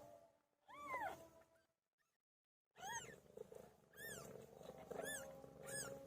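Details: Meowing from Pilo, a domestic cat in labour: one arched meow, a short silent gap, then a run of four repeated rising-falling meows over a steady low background hum.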